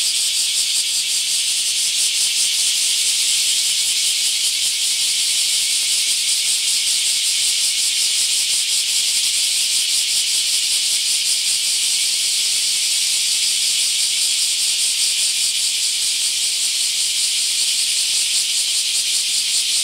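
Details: Massed bear cicadas emerging in large numbers at a park in Akashi, Japan, fill the air with an intense, unbroken shrill drone, a rapid rasping pulse just audible beneath the steady hiss-like chorus.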